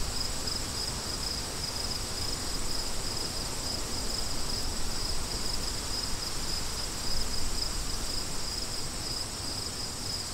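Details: Crickets chirping in a steady high, thin pulsing trill that barely breaks, carried over a constant rushing wind that fills the low range.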